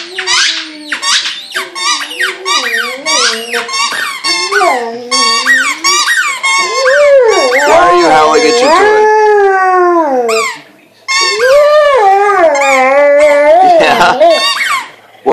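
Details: Male pet Vizsla howling and whining at his squeaky toy indoors: long wavering mid-pitched howls that slide up and down, with rapid squeaks from the toy and a woman talking over them.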